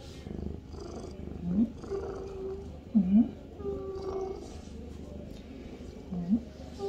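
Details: Avi, a pet cat in a bathroom, purring with a steady low rumble, broken by short rising chirp-like grunts about every one to two seconds; faint indoor background.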